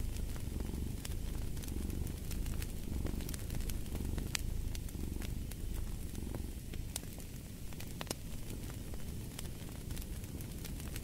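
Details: Soft, continuous rumbling purr of a cat, its breath-paced swells less distinct here, accompanied by steady crackling and popping of a wood fire.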